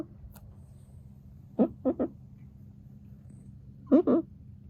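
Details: Sleeping Exotic Shorthair cat named Shishamo snoring indoors: two groups of short, rough, fluttering snorts, three quick bursts then a paired pair about two seconds later, over a low steady background hum.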